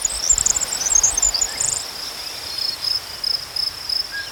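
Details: Crickets chirping outdoors, a constant high-pitched trill with a flurry of higher, rapid chirps in the first two seconds, then mostly the steady trill alone.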